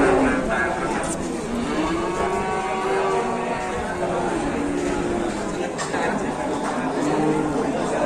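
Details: Cattle at the Grabag cattle market in Indonesia: drawn-out, low, harmonic moos rise and fall several times through a steady wash of crowd chatter and market bustle.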